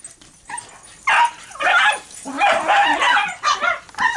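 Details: A Dachshund playing with a beach ball gives high, yappy barks mixed with whiny, drawn-out yips in quick, uneven bursts.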